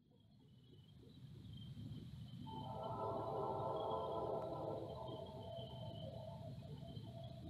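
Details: A pack of eastern coyotes ("coywolves") at Water Works Park, Cuyahoga Falls, Ohio, responds to a whistling CSX train with a wavering, overlapping chorus of strange howls over a deep, steady train rumble.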